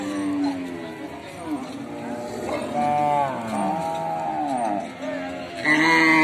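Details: Continuous cattle mooing with overlapping voices: wavering, harmonic calls that arch up and down in pitch, strongest around 3 seconds, ending with a sharp, louder moo near 6 seconds.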